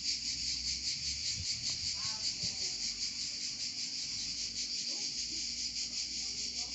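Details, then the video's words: Provençal cicadas giving a high, buzzing song that swells and dips in quick rhythmic pulses, roughly twice a second, with faint low rustles underneath. "Chant des Cigales en Provence"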